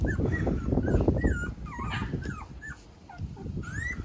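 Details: Male white Shiba Inu puppy with fluffy coat, giving high thin whimpers and whines that rise and fall, several short bent squeals in quick succession, over low rumbling handling noise.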